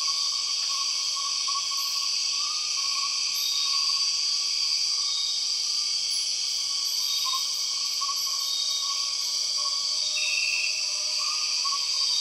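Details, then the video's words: Rainforest of Borneo resounds with an empress cicada's call inside a continuous, even, piercing insect hum, low soft whistles drifting beneath it and a brief bright note near the end. "The weird sound of empress cicadas"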